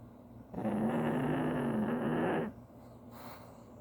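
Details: A pug snoring: one drawn-out, buzzy, rasping snore lasting about two seconds, steady and low in pitch and rising slightly at its end, followed by quiet breathing.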